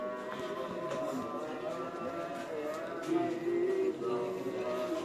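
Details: Music with voices over faint background noise, and no animal sound.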